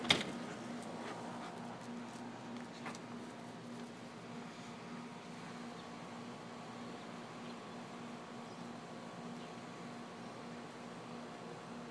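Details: Quiet indoor room tone with a steady electrical hum and a soft knock at the start; no animal sound is heard.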